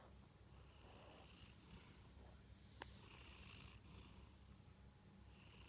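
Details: Munchkin cat Kantarou snoring while asleep: soft hissing breaths about every one and a half seconds over a low rumble, interrupted by a sharp single click midway.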